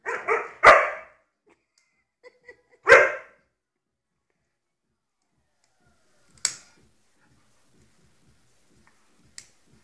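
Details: Dog letting out a couple of loud barks at the start, a single bark near three seconds, then near silence broken by a sharp click.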